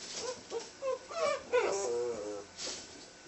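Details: American red nose Pit Bull Terrier puppies: a run of short, high whimpers and yips, about three a second, rising and falling in pitch, indoors and quiet.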